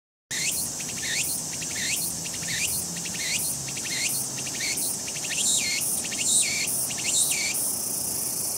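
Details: Walker's cicada (tsukutsukuboshi) repeats a rhythmic, pulsing phrase over a steady, high-pitched insect hiss; recorded 22 August 2021.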